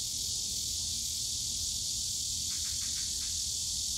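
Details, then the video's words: Cicadas in Yongsan Family Park's bamboo grove on a summer day: a constant piercing buzz, joined late by four or five short rapid chirps, over a low murmur of park noise. "용산가족공원 대나무숲 매미소리"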